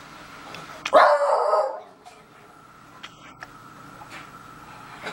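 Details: A beagle howling at a stink bug gives one short, loud, baying howl that starts sharply and fades within a second.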